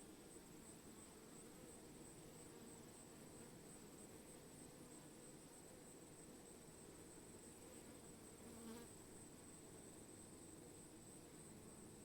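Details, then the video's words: Bees humming in a steady, dense drone of low buzzing tones that holds without a break, with a thin constant high whine above and a brief brighter buzz near the end. "Bees - Relaxing Sound of Bees"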